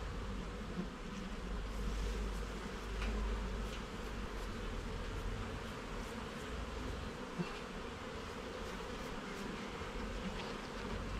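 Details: Continuous low hum of honey bees in a garden hive as its frames and levels are inspected. The droning holds steady throughout, with soft scattered ticks of handling above it.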